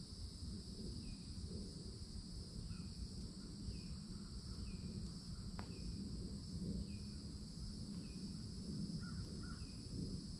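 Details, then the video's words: A loud chorus of cicadas at the edge of a Florida forest in summer, an unbroken shrill hum running throughout, while a bird gives brief calls every second or so above a deep, constant background roar. "CICADA SOUNDS"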